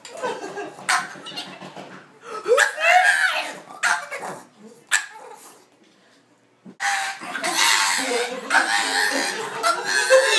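A Boston Terrier barks and yelps excitedly in rough bursts, reacting to someone at the door.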